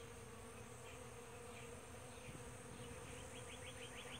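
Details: Bees of various species working powder puff blossoms at sunrise produce a constant low droning buzz; toward the end a fast run of high repeated chirps sounds above the hum.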